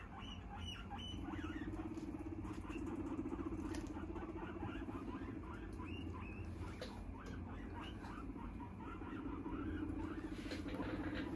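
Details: Guinea pig kept indoors with a cardboard box used as a hidey house or play box, giving many short, rapid chirping squeaks in quick uneven bursts over steady low rumbling background noise and soft rustling.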